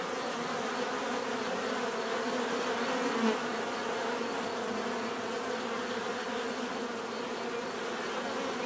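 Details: Continuous hum of many bees, an even swarm drone with low buzzing bands and a broad hiss above, steady in loudness from start to finish.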